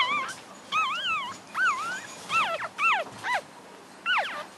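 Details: Week-old English Cocker Spaniel puppies squealing: clear, high, wavering whines, some bending up and down, others sliding sharply downward, several separate cries with short pauses between them and faint rustling behind.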